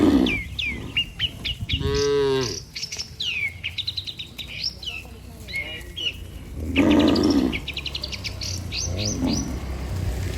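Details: Healthy herd of cattle walking together toward their barn, guided by a herder; one deep, drawn-out moo with rich harmonics stands out, with shorter low lowing before and after, over constant chirping and twittering of many small birds.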